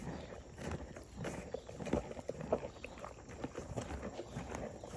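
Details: Morgan horse mare chewing grain: close, steady crunching roughly every half second with soft rustling and a few faint clicks in the background.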